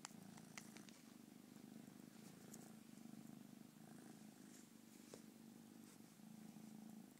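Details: Low, rhythmic purring from a pet cat, a soft pulsing rumble in breath-length phases over a hissy, noisy background with scattered faint clicks.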